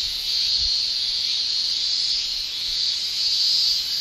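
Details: High, piercing summer shrill of male Japanese cicadas sounding their tymbals, unbroken from start to finish. A couple of brief low thumps occur near the start.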